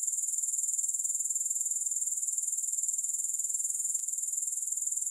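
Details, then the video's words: High, thin sizzling of grasshoppers throbbing evenly at about four pulses per second. A single faint click breaks in near the end, with nothing else audible. "Grass Hopper Sounds"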